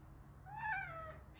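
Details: Domestic cat meowing; a single drawn-out, harmonic meow that rises and then slides down, lasting under a second, against a faint low hum.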